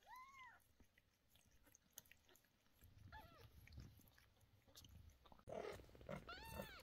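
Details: Mother cat screaming indoors as medicine goes into the sore eyes of two of her 11-day-old kittens: two arched, wailing cries, one at the start and one near the end, with rustling and handling noises between.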